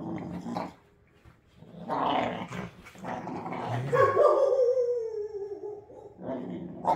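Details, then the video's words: Pit bull puppies wrestling in play indoors, a baby-toothed pup snarling at an older rescue dog; harsh rumbling growls rise into a drawn-out whining yelp, then resume briefly. "Pit Bull Puppies wrestling: Epic Growling & Snarling"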